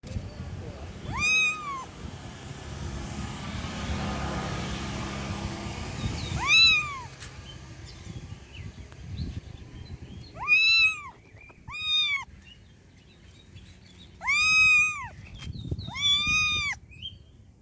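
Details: Stray cats living on the street meow in drawn-out, arched calls, about six of them spaced irregularly over the recording, some in quick pairs, over a low background rumble.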